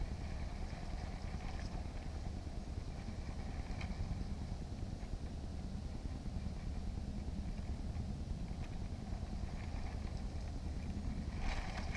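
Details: Steady low engine rumble, like a passing vehicle or motorboat, fills the whole stretch with no clear animal voice.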